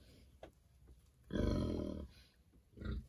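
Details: Berkshire pigs kept on a farm, being treated for external parasites and rolling around happily; a short low throaty grunt with a brief second call, a soft voice murmuring in the background.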